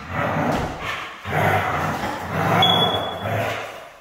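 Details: Siberian husky described as hard to train, giving a continuous harsh, throaty vocalization in four drawn-out grumbling surges with a low rumbling undertone and a brief thin high squeak near the end.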